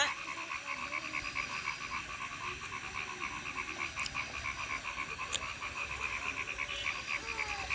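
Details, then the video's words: Frog chorus in Thakurgaon district: a steady, fast train of short pulsed notes repeating many times per second without pause, with a faint low hum beneath. "Natural sound of a frog in Thakurgaon district"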